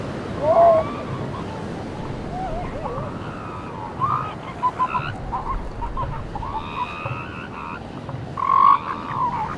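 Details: Seal pups on a beach, several wavering, moaning calls around 700 to 1000 in pitch, some bleating and rising, scattered through a steady roar of breaking waves.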